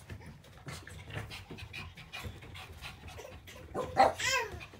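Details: Puppy indoors, panting in rapid, breathy puffs, ending with a brief high whimper, while a child's voice and soft room noise continue in the background.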